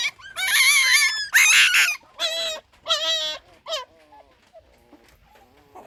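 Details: Newborn puppy from a litter of six giving two loud, shrill crying wails followed by shorter whimpers that fade into faint, thin squeaks toward the end.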